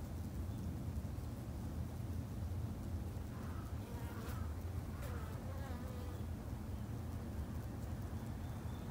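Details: Japanese honey bees kept at a backyard garden hive produce a steady low hum, with a few brief higher buzzing tones as individual bees fly close around the three- to six-second mark.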